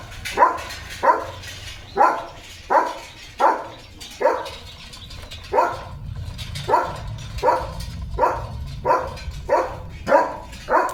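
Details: During a playful chase with his owner across green countryside in rainy weather, German Shepherd Leo barks steadily: about sixteen clipped, husky barks, roughly one every two-thirds of a second, over low rumbling background noise.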